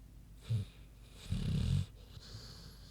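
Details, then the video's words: Sleeping pig named Queenie giving a short low snort followed by a longer rumbling, wheezy snore. "Big Pig Snoozin' (HD Queenie Snoring Audio)"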